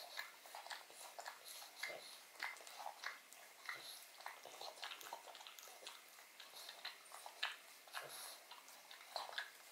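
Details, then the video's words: Pug named Odin working at a bone full of marrow inside a small room: rapid, crisp clicking and smacking bites with bright, sharp edges, repeated several times a second without pause. "Dog Eats Bone Marrow [Pug/Mukbang]"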